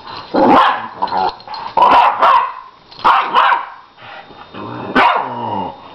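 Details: Chryssy and Autumn, a nine-year-old Lhasa Apso and a one-year-old puppy, playfighting. Bursts of short harmonic yelping barks and growly howls come about once a second, separated by brief quiet gaps.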